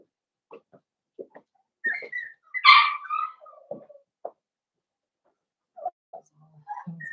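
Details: Blenheim Cavalier King Charles Spaniel puppies, a litter of five, in a puppy pen at home: soft whimpers and squeaks, one louder rising yelp in the middle, then faint whines and small grunts.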